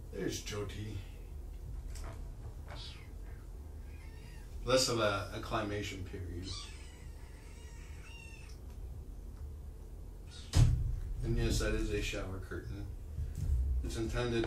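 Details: Kittens from a group of five across two litters, surrendered in Tacoma and taken in by Purrfect Pals, during an afternoon visit from Kougra; high thin meows with stacked harmonics come in short bursts, partly overlapping human speech and indoor bumps.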